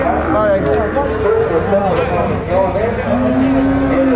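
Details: Low drawn-out moo from Gyr cattle at the Tiangue market in the Salvadoran countryside, swelling near the end over constant background chatter of people.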